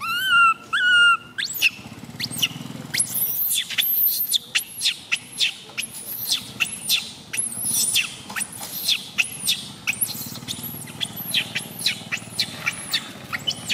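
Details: Tiny female baby monkey MoMo crying during a fall, opening with two tonal whines, then a long string of thin, piercing squeals rising and dropping, repeated rapidly and irregularly.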